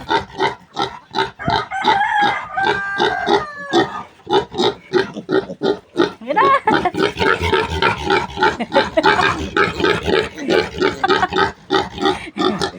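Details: Piglets of a new sow being chased and caught for weaning, near a mango tree: harsh, broadband squeals and grunts repeated about three times a second, rising into a dense, continuous squealing run midway, with occasional human voices.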